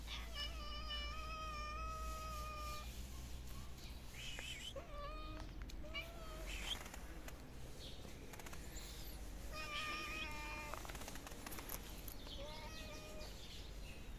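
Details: Stray kittens of different colours living on the street meow while being fed, with several harmonic cries, some long and level and others short and rising-falling, overlapping over a steady low rumble, clicks and brief voices.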